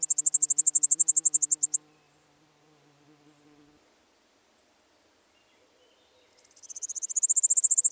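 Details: Littoral Dark Bush-cricket in Seewiesen, Germany, 11 Jul 2023: a rapid train of high, sharp chirped pulses stops abruptly, a few faint low tones linger, then after a gap another fast pulsed sequence builds up.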